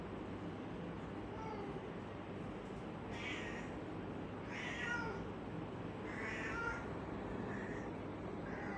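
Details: Domestic cat meowing: four short, fairly high meows spaced one to two seconds apart through the second half, heard softly over a steady background hiss.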